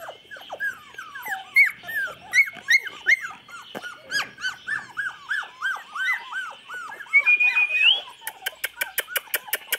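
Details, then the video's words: Chocolate Labrador puppies, 24 days old, recorded 8 November 2014: a litter of overlapping high whimpers and squeaks in rapid arched notes, several callers at once, with a thin rising whine near the end and sharp clicks closing it out. "Cachorros de labrador chocolate con 24 días de edad."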